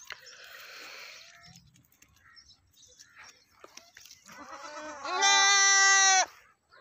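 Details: Goat calling: softer, hoarse bleating sounds early on, then one loud sustained nasal bleat lasting about a second near the end.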